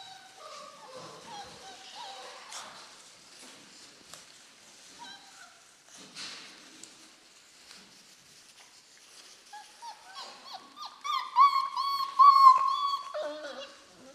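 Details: Four-week-old German Shorthaired Pointer puppies from one litter. Faint scattered squeaks and soft noises come first, then a loud, drawn-out whine that rises and falls near the end. Thin high whimpers overlap the whine.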